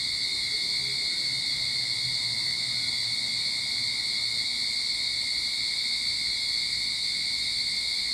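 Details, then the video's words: Cicadas in a Sydney backyard at the start of summer sing in a steady, unbroken high-pitched drone that holds level throughout. "Cicada Sound to Calm your Mind"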